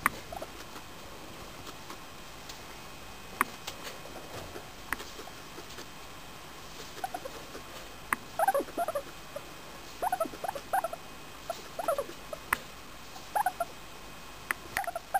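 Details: A four-year-old female English Crested guinea pig named Femi, happy while being petted, gives short soft squeaky chirps in scattered clusters, mostly in the second half, with faint rustling between them.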